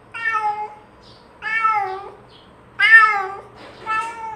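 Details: . Domestic cat meowing, used as a lure to call other cats to come near; four harmonic meows, each about half a second long, falling slightly at the end, spaced roughly one to one and a half seconds apart in a quiet room.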